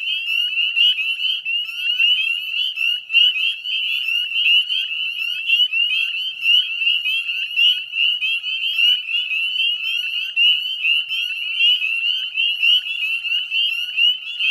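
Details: Northern spring peepers massed in spring wetlands of West Chezzetcook, Nova Scotia, heard at dusk on 18 May 2020: a relentless high, bell-like peeping chorus, individual upslurred notes overlapping into one shimmering band of sound.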